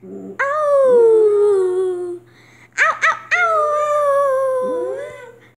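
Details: Domestic dog howling: a long falling howl of nearly two seconds, a quick burst of two or three sharp yips, then another long, slowly descending howl ending in a small upward whimper; low hum in the background.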